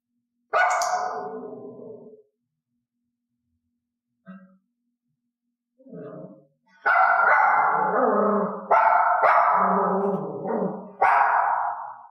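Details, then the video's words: Dog in clicker training, barking on cue and rewarded only for cued barks. A burst of loud barks, a pause with two short yips, then a run of long, rough, closely spaced barks. "i gave the cue and then clicked the resulting bark the dog must learn that reinforcement only comes from this behavior"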